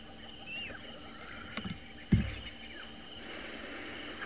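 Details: Crickets keep up a steady, high, shimmering trill at sunrise on Sunday, 10 March 2024, at Juma Private Game Reserve in the Greater Kruger. Brief whistled notes from black-headed orioles and a hornbill break in, with a dull thump partway through.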